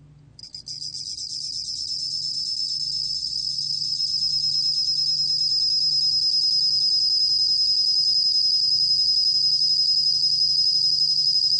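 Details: From a stuttered start, the bell cricket runs into a sustained shrill trill of rapid even pulses, growing louder over the first seconds. Recorded in 2020 by Korea's National Institute of Biological Resources; low steady hum behind.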